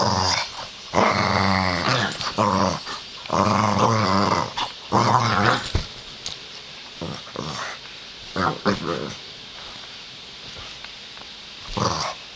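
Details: Playful pet pug growling in a small room; strong rumbling growl bursts in the first half, then softer grunts and snuffles, with a person talking quietly in the background.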